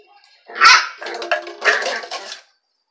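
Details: A Dachshund confronting another dog gives one loud, sharp bark followed by a rapid run of rougher, overlapping barks and yaps, then falls silent.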